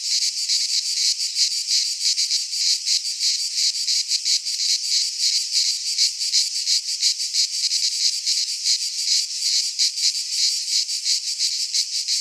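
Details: Midsummer cicada chorus from a pine forest in Greece: an unbroken high, sizzling buzz made of fast, even pulses, loud and steady throughout with nothing else audible.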